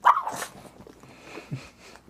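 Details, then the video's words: Male pug at home making a weird, needy sound after his owner stops scratching his rear: one sharp, high yelp-like burst at the start, then soft snuffling noises in a quiet room. "PUG DOG LIKES BUTT SCRATCH,MAKES WEIRD SOUNDS"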